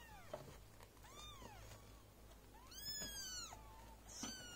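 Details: Golden British mother cat with her four newborn kittens, indoors while she feeds and tends them: high, thin mews that arch up and fall, some short, others long and sliding, spaced across the clip over a low steady hum.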